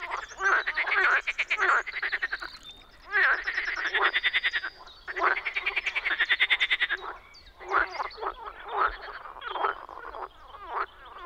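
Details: Loud spring frog calling from a Czech wetland: strong, buzzy pulsed croak bursts of one to two seconds, overlapping and repeated, forming a lively chorus.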